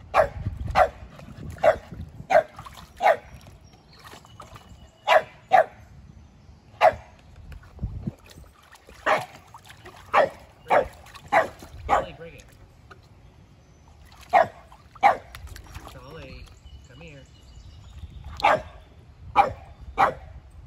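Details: Keeshond named Kumo testing the water at his first pool, with Boston Terrier Sully nearby; a lively run of about twenty short, sharp barks comes in clustered bursts, with brief pauses around the middle.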